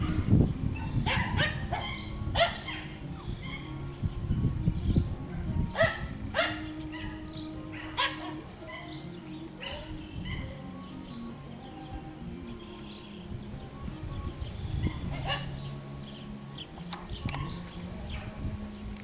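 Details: Schnoodle puppies, a Miniature Schnauzer and Miniature Poodle cross, playing on a farm in Iowa. Short harmonic yips and squeaky barks in scattered bursts, busiest in the first eight seconds, over a steady low rumble of background noise.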